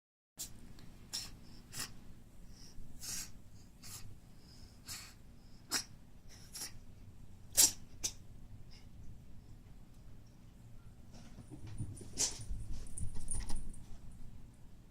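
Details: Indoors, a pet Maine Coon, called the queen of the house, sneezes repeatedly, perhaps from a cold, before being taken to a vet. There are about ten sharp, broadband bursts over fifteen seconds, spaced irregularly, against a low room hum.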